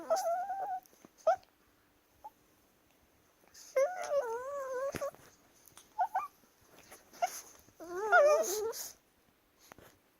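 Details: Wrestling Chihuahuas make funny noises: wavering, nasal whining grumbles that rise and dip, separated by short pauses, with a loud warbling cry near the end and faint rustling of play.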